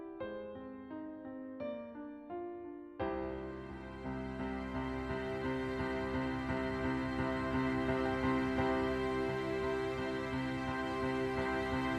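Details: Gentle piano notes open, then sustained soft instrumental music plays throughout with no animal voice.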